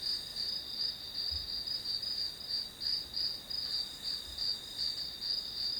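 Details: Continuous chirping of grass insects, a bright high band of pulses repeating roughly three times per second, evenly sustained over a quiet background with a couple of soft low thumps.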